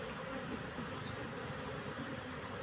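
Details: Honey bee colony being caught into a hive box: a steady, dense, low droning hum that fills the whole moment without a break.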